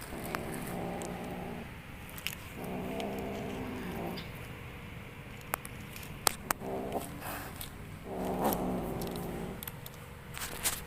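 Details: Kitten at play producing strange sounds: four separate drawn-out, growly harmonic calls, each about one to one and a half seconds, separated by pauses, with scattered clicks and scratching noises throughout.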